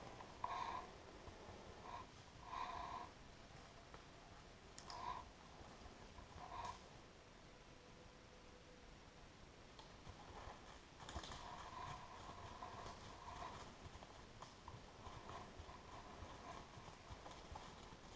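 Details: During a moose hunt in Tver Oblast, a wild boar emerging from a drive passes within four metres of an unseen hunter, giving brief harsh snorting grunts about two seconds apart, then soft rustling and breathy noise.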